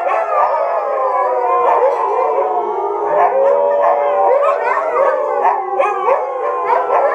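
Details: Several Siberian Huskies in a kennel howling together in chorus, layered sustained tones overlapping with wavering, sliding pitches and short yips, a dense continuous chorus.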